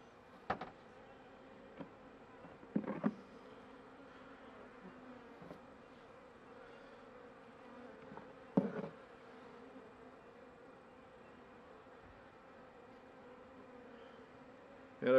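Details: Honey bees in a weak hive late in winter, near spring, with few bees and no food stores left, opened by a beekeeper; a steady low hum holds through, broken by several sharp knocks and clicks from handling the frames.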